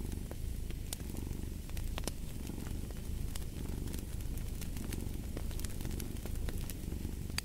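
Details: Continuous deep purr from a cat, a dense low throb gently swelling and easing, with fireplace crackles and scattered snapping pops over it.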